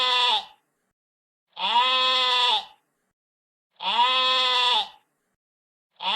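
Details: A sheep giving evenly spaced bleats, each a buzzy, harmonic, level-pitched cry a little over a second long, separated by silent pauses of about a second; nothing else audible.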